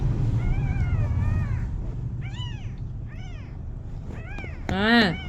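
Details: A kitten trying to walk gives about five rising-then-falling meows in quick succession, each with clear overtones. The last is loudest and most drawn out. A steady low rumble runs underneath, with some handling noise.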